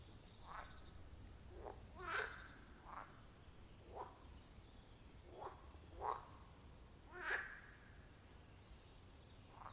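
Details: Frogs calling at a wild forest pond, recorded with a phone and clip-on microphone: short croaking notes spaced about a second apart, several overlapping callers, over a low steady background hum.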